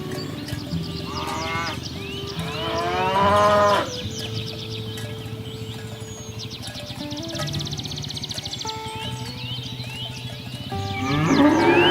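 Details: Herd of free-range village cows herded to the farm pen across green fields: one strong rising moo near the middle stands out over background music with stepped tones and scattered higher calls.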